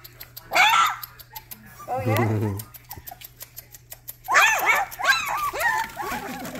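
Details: Rottweiler puppies giving their first barks: a few short, sharp, yelping bursts, one early and a quick cluster of three later on, with thin whimpers between and a human voice talking in the background.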